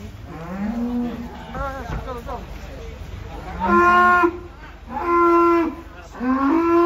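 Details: Cattle mooing while being unloaded from a truck: three loud drawn-out harmonic moos in the second half, each lasting about a second, after shorter calls, with men shouting nearby.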